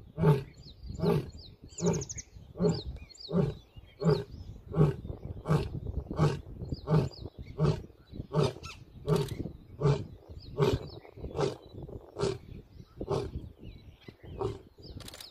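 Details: A young male Asiatic lion on a safari track in Gir Forest one morning gives a long series of deep, grunting roars, evenly spaced less than a second apart, after resting and stretching.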